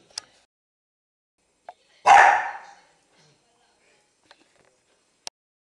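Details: Five-year-old female Maltese terrier, once a stray, busy with a biscuit, gives a single short, rough bark amid faint clicks and taps from her chewing and movement.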